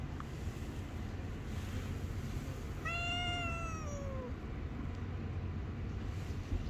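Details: Angry stray cat living on the street, biting a hand when touched: a single clear harmonic meow, about one and a half seconds long, sliding slowly downward, over constant low urban rumble.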